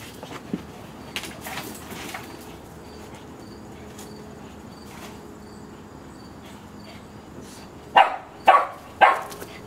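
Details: Bobby and Mimi, two cousin dogs aged one and a half, play in a backyard; after quiet rustling, three loud, short barks close together end the recording.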